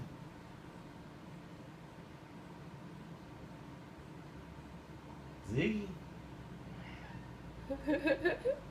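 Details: Defiant house cat Ziggy resists being told to go to his room, giving one sharp meow followed later by a quick stuttering run of short chirpy meows, after his owner tells him not to just sit there.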